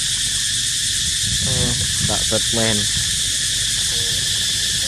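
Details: Cicadas keep up a continuous high buzzing hum. Over it come short harmonic calls or voices, clustered around the middle seconds.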